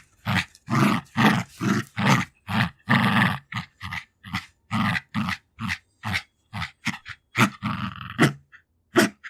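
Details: Female Jack Russell Terrier, two years old, tussling over her favourite toys and growling continuously. Quick, raspy growl pulses come in an almost unbroken series, roughly two to three per second, with panting breaths between them.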